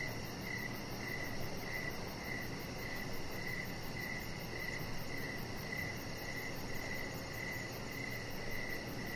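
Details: Cricket chorus on an evening deck, a chihuahua puppy lying nearby; evenly spaced short chirps recur about every half second at one high pitch, with a constant hum underneath.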